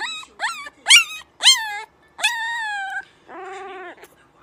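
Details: Puppies howling for the first time: short rising yelps, then a longer high howl sliding down, followed by a lower wavering howl, with clear harmonic tones and silence between.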